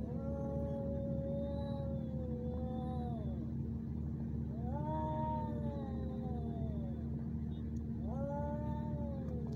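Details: Ginger male cats in a fight in Al Rahmanya, Sharjah, UAE, handheld neffos x20 recording: three long yowling wails, each lasting about two to three seconds, rising then bending downward with strong harmonics, backed by a constant deep mechanical hum.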